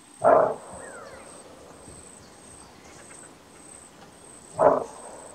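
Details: Greater kudu in Kruger National Park giving its characteristic bark alarm call: two short, gruff, explosive barks about four seconds apart over a quiet background with a faint steady high-pitched insect whine.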